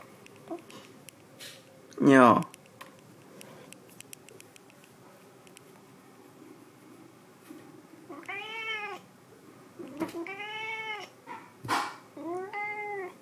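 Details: A white cat called Sea Cucumber gives a burst of rising-and-falling harmonic meows in the second half, three or four drawn-out cries about a second apart, after a sharp loud cry near the start and some human voice.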